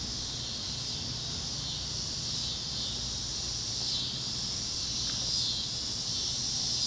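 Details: Cicadas chirping across Kansas fields at sunset on a warm Great Plains evening, a steady high buzzing wall of sound, with brief thin whistled notes from another critter near the end and soft low rumble.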